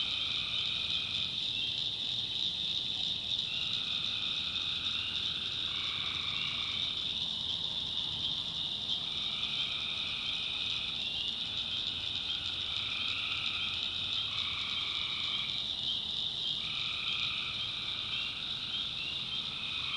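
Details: Tree frogs calling at night in the backwoods of North Carolina: overlapping drawn-out trills rise and fall every few seconds over a steady high-pitched insect-like hiss, forming a dense nocturnal swamp chorus.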